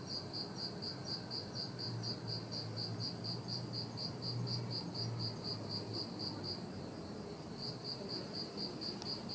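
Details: Bell cricket ringing a clear, high, bell-like trill in steady repeated pulses, recorded on the night of the mid-autumn full moon, 21 September 2021.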